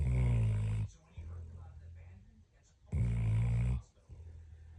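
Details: A dog asleep snores in deep, rattling, harmonic bursts about three seconds apart, each loud intake trailed by a quieter droning exhale; nothing else audible in the small indoor space.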